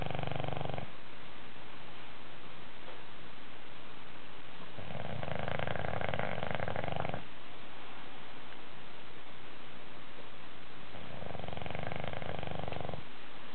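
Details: An English Bulldog snores in deep, rumbling bursts that come every few seconds while taking a nap.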